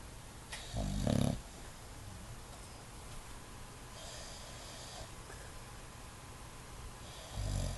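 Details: An English Bulldog snoring with eyes open gives deep, rumbling snores, two heavy breaths separated by several seconds of quiet.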